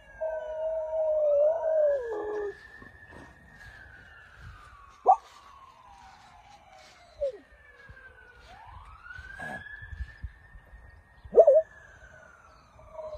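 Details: Howling in answer to a police siren, a dog holds a loud, wavering, quavering tone for the first two seconds, then falls silent while the siren's slow rising and falling wail repeats, punctuated by brief sharp yelps.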